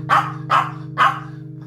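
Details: A Maltese with two small kidney stones, on a low-protein prescription kidney diet, barks at feeding time while a man in a tiger mask poses as a rival eater. Three sharp barks come about half a second apart over a steady humming background tone.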